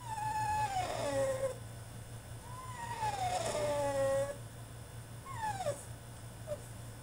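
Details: Tantrum of a male French Bulldog shut in his cage: long, sliding whines that drop in pitch, two drawn-out cries and then a shorter sharp whimper, over a constant low electrical hum.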